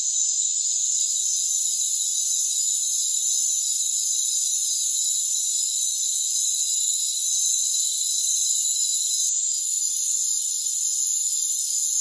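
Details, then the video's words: Rainforest crickets in a steady, dense high-pitched chorus of continuous shrill trills layered in several bands, with no low sounds at all and a brief dip in loudness near the end. "Rainforest Crickets"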